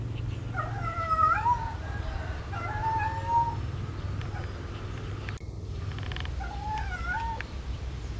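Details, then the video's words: Lovesick domestic cat calling to find a partner: several drawn-out, quavering meows with wobbling pitch, a pause broken by a sharp click, then one more bent, whining call over constant low background hum. "Suara Kucing Kasmaran Mencari Pasangan"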